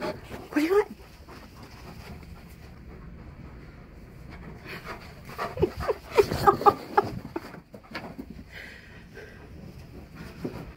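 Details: Male Alaskan Malamute at home, persistently vocalizing for his owner's attention; a short whine near the start, then a cluster of wavering, bending whine-talk sounds midway, overlapped by the owner's questioning voice and background panting.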